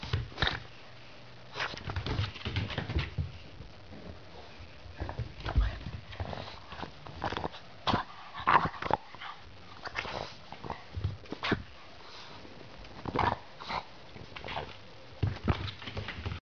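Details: A Boston Terrier lets out short whines and grumbling yelps, protesting having its anal glands expressed, which it dislikes.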